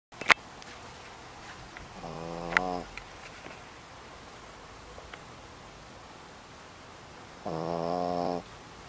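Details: Dog snoring loudly indoors: two drawn-out, buzzy, droning snores, each under a second long and about five seconds apart, with quiet room tone and faint clicks between them.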